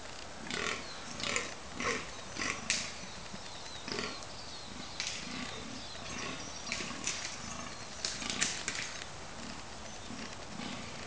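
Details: Fallow deer bucks fighting during the rut at Cannock Chase in October 2011 give deep belching, groaning grunts repeated in quick, uneven series.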